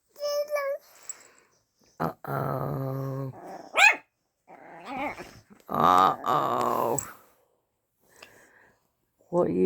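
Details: Pet dog Luna barks at fellow dog Daisy for the first time, giving stretched, howl-like barks and a few short rising yelps, mixed with a person's voice in a small room.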